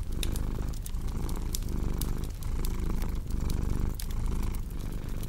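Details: Low rhythmic purring from a cat, swelling and dipping with each breath, overlaid by loud, bright crackles of a burning fireplace.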